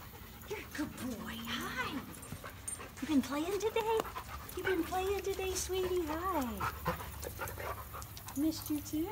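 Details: Remington, an old dog, welcomes its owners back after two weeks away with a run of sliding, up-and-down whimpers and squeals, panting between cries, while people talk and laugh over the excited greeting.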